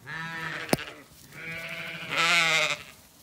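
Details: Zwartbles ewes at feeding time on an Irish farm in County Kilkenny: a steady bleat, a sharp click, then two more bleats, the last louder and brighter with a quavering tone.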